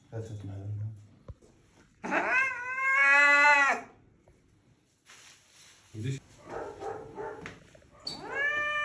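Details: Cat's angry howl: one long, loud, wavering yowl in the middle that rises slightly then drops away, with a second cry starting near the end; human speech and household noise fill the quieter stretches.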